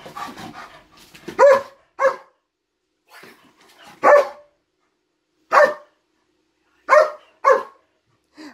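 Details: German Shepherd freaking out over something in a closet, giving loud, sharp barks in uneven bursts, about six over eight seconds, some doubled closely together, with silent gaps between.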